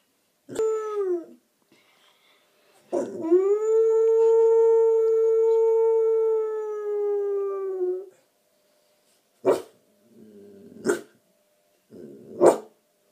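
A Husky-Staffordshire Bull Terrier cross puppy gives a short howl, then a long steady one, then yips.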